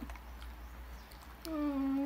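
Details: Border Collie, a female called Ping Ping, at medicine time indoors: after a quiet low hum, a sustained tonal whine breaks in, dipping slightly then holding steady with bright overtones until the end.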